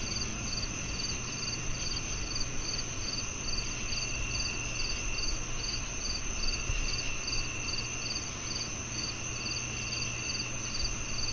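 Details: Continuous cricket chorus of fast, evenly repeated high chirps over a steady insect drone, accompanied by a persistent low-pitched hum.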